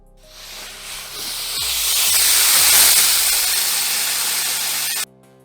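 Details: Burmese python giving a long, steady, breathy hiss that swells over about four seconds and then cuts off sharply, with faint soft music underneath.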